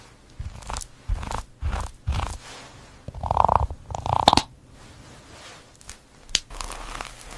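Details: Cat eating, with crunchy, wet bites and chewing in short bursts about every half second to second, two louder crunching bouts in the middle, then quieter munching with scattered clicks.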